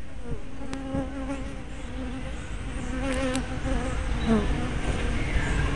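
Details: Bees flying at the hive entrance, 24 May 2012, close-up spy camera with fisheye lens; a sustained low buzz with a bright hum and overtone, individual bees swooping past with bending pitch, growing busier toward the end.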